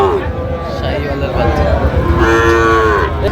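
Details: A Sahiwal bull calf at a cattle market in Chattogram, Bangladesh, on 4 August 2025 gives a drawn-out low moo with stacked harmonics late in the clip, over crowd murmur and men haggling over price.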